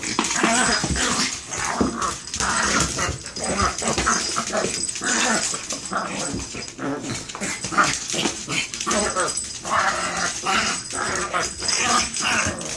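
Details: Several seconds of Chihuahuas in a fight, with harsh, continuous snarls and growls in rapid, choppy bursts and human voices mixed in among the dogs.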